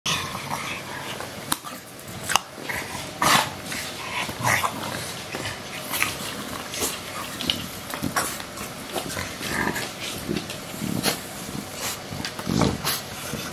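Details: Two English Bulldogs, WanWan and Fe, aged two years 223 days and two years 139 days, recorded 31 January 2017 while bored: repeated short snorting and huffing bursts, irregular, some raspy grunts, with light background hiss.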